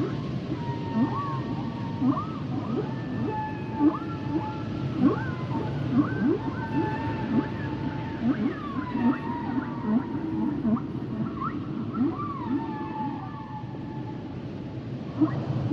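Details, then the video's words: Humpback whale song full of quick looping whistles and short rising chirps, many notes overlapping in a dense chorus-like stretch, set against constant deep ocean rumble. "Sounds and Songs Of The Humpback Whales"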